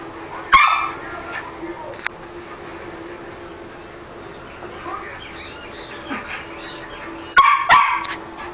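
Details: Chucky, a toy poodle, barking while playing: a sharp bark burst near the start and a quick double bark near the end. A quiet room hum and faint rustling fill the gap between them.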